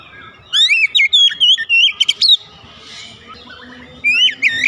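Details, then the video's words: Oriental magpie-robin, a home-kept bird, sings loud whistled phrases with sharp rising and falling slurs, two bursts separated by a quiet gap of about two seconds; faint low hum underneath. "terapi cepat mengatasi Kacer rumahan susah bunyi lekas gacor"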